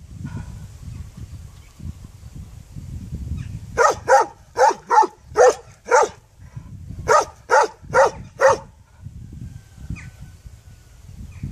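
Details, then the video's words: Dog barking in two bursts: five sharp barks followed by a short pause and four more, evenly spaced about half a second apart, over low rumbling background noise. "Qeni duke Lehur The dog is barking"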